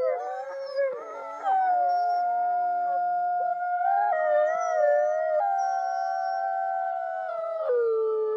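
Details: Wolf. A chorus of wolves howls in long, drawn-out tones, several voices overlapping at different pitches. Each howl holds steady before sliding or stepping to a new note, giving a layered, mournful harmony.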